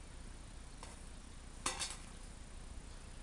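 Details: Quiet indoor room tone broken only by a couple of brief glassy clinks, with no animal sounds.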